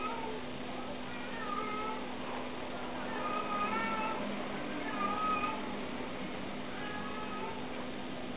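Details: A mother cat meowing as she searches for her kittens; repeated drawn-out meows, some rising and falling, over a steady low hum.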